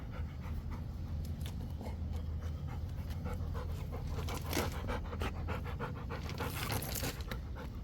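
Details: Rottweiler panting while catching a ball: quick breathy huffs, roughly three per second in an uneven rhythm, with a steady low rumble underneath throughout.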